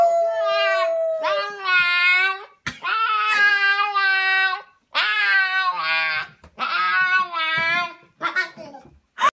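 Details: Siberian Husky puppy attempts howling indoors: a series of wavering, harmonic-rich howls about a second or two long, separated by short pauses, some notes wobbling and breaking, ending with a brief yip.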